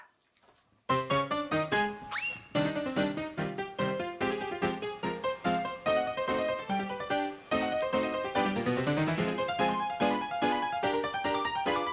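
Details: Bright piano music plays throughout in a quick run of notes, and no animal sound is heard.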